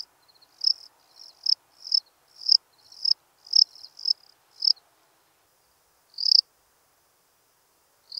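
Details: In Breitenbrunn, Austria, on 23 May 2021, a lesser field-cricket sings. A brisk series of about eight bright chirps, each preceded by soft clicks, is followed by a pause of over a second. Then isolated chirps resume against silence.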